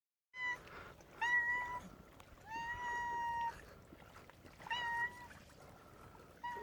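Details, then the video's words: A cat making a funny sound: about five steady, level, tonal cries, some short and some stretched to nearly a second, spaced irregularly over several seconds against a low, hissy background. "Cat makes funny sound"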